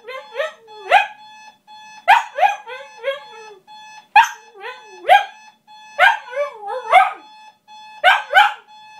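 A Shiba Inu wakes its owners with a warbling song of rising and falling howls, each phrase ending in a sharp yelp. A steady electronic beep hums underneath throughout.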